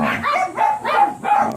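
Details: Miniature Pinscher at a kennel in Manaoag in the morning, where the blue mini pinscher Ziggs was mated again; three short, ringing barks in quick succession, each with a clear tonal core.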